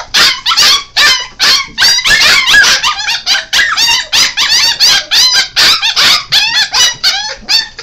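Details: A litter-aged mix of Golden Retriever and Alaskan Malamute, five weeks old, produces loud, high whimpering yelps that curve in pitch, delivered in uneven rapid bursts with overlapping voices throughout.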